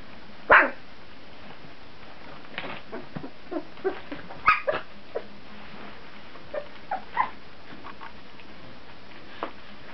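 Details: Litter of puppies aged 14 days, indoors: a loud high yelp opens, another strong yip follows midway, with many smaller squeaky yips and whimpers scattered between, irregular and unrhythmic, over low rustling.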